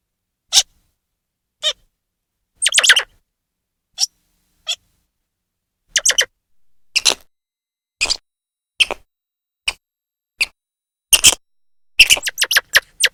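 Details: Loud grey squirrel chirping. Sharp, raspy chips come singly or in short stutters, then quicken into a dense closing flurry over thirteen seconds, with no other sounds.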